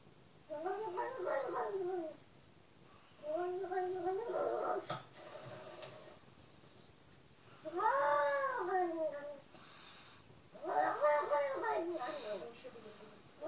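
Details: Cat giving four drawn-out, wavering meows, each about two seconds long with a rising then falling pitch, separated by short pauses in a quiet small room.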